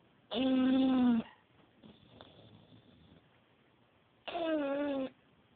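An English Bulldog snores in two loud, buzzy, droning bursts about four seconds apart.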